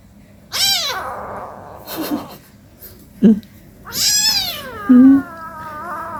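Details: Domestic cats at home, an 18-day-old kitten with its mother during play: two loud, rich meows, the second long and gently falling, with a few sharp knocks and thumps between them.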